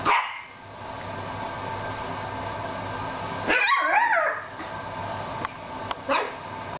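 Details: Puppies Paris and Mocca: a short yelp opens, then midway a wavering, high-pitched bark-yelp lasting under a second, followed by a quick clipped squeak, with a low steady hum beneath.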